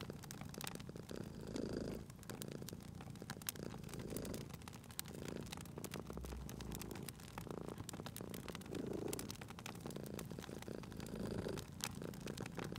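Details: A cat purring softly at a crackling fireplace, the low rumble quieter and partly masked, swelling in gentle breath cycles every couple of seconds beneath dense crackling and popping of burning wood.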